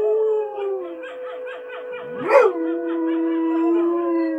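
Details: Husky named Richie answering TV wolves with a steady sustained howl, a fluttering pulsed voice over it and a brief sharp rising yelp near the middle.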